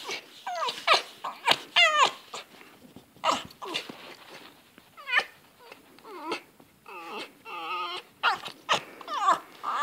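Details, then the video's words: Fox making excited calls during zoomies: repeated short whines and yelps in quick bursts, some sliding down, others wavering in fast stuttering runs, with thumps and movement noise between them. "Funny fox sounds and zoomies"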